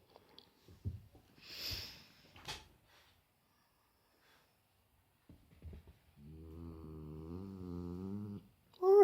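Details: After quiet rustling, a big domestic cat meeting his little brother for the first time lets out one sustained, low, droning growl lasting about two seconds, steady in pitch, before a sharp noise.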